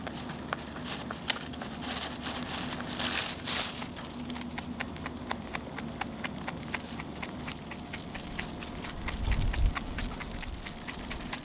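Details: Rabbit munching its food without pause: quick, crunchy chewing clicks about three per second, with a couple of brief louder rustles partway through.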